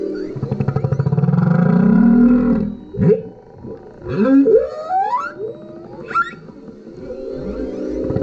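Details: Singing male humpback whale below a kayak, recorded by GoPro: a rising buzzy moan builds, then a burst of upward-sweeping whoops and wavering cries, fading to a low rumble.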